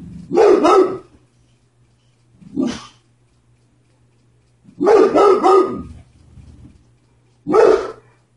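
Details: A dog barking at the mailman: loud, harsh barks in quick doubled bursts, four bouts over eight seconds with short pauses between, over a low steady hum.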